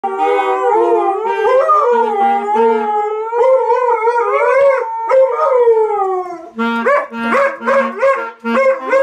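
Siberian Huskies howl together in long, wavering, overlapping tones that slide up and down in pitch.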